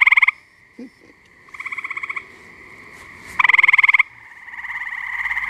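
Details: Chorusing tree frogs at a pond on a muggy night in New Jersey; loud pulsed trills in bursts under half a second to about a second long, over a steady background drone of many calling frogs.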